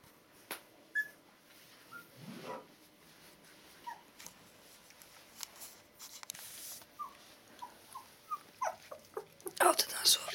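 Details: Two-week-old Border Collie puppies squeaking and whimpering indoors, with short high rising squeals repeated in bursts toward the end, mixed with a person talking and brief rustling.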